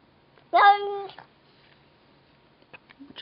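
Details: Pet cat Verbal, unseen, talks to a neighbouring cat with one short, clear meow that rises then levels off, followed by soft clicks and faint shuffling in a quiet room.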